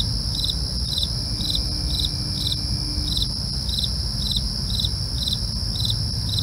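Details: Night cricket chorus, with brief chirps pulsing roughly twice per second above a constant shrill ringing trill and a soft low droning noise underneath.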